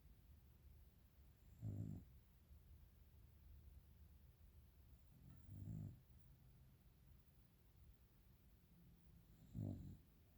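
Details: A dog snores in its sleep while everyone else sleeps; three low, raspy snores come roughly every four seconds with quiet breathing gaps between them.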